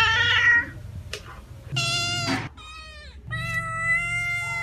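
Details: Domestic cat meowing: several harmonic meows, one falling and fading, others steady and sustained, with a brief click between calls and a low hum underneath.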